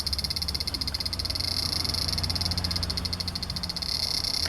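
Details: Large brown cicada recorded on 3 September 2015: a rapidly pulsing, grating buzz over a steady low hum in the background.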